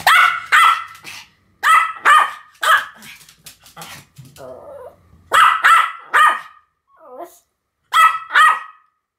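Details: Duet barking by two Pomeranians named Sam and Marin: high sharp barks in pairs and triplets, a brief lower growl and a small whine between bursts, with quiet gaps.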